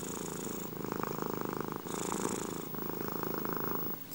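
A domestic cat purrs close up, a continuous low rumble with a soft rhythmic pulse. The sound swells and eases in cycles of about a second or two as the cat breathes in and out.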